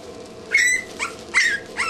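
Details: Two-week-old English Bulldog puppies whimpering: four short high squeaky cries in under two seconds, each sliding down in pitch, with a faint steady hum behind.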